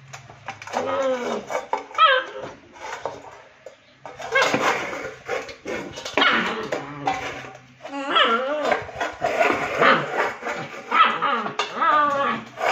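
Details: A Rottweiler puppy is angry that its plate turned upside down during play and cannot be straightened. It gives repeated harsh, wavering whines and yappy bursts in clusters, with short pauses between outbursts.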